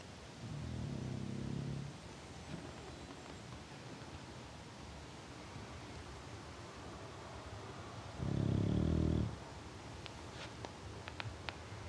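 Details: Sleeping English Bulldog named Till snoring: two rough, low rumbling breaths, one early and one near the end, separated by quiet room background with a few faint clicks.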